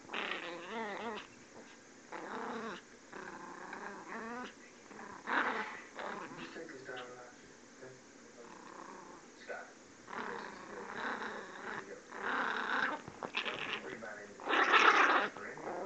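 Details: An angry puppy, Miss Izzy, keeps up high-pitched, wavering growls in repeated bursts over about sixteen seconds, while a human voice speaks at times between and over the growling.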